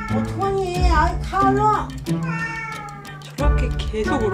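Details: A female street cat that has visited a home for two months, crying at the door until the homeowner opens it; several drawn-out, wavering meows, rising then falling, over background music and speech.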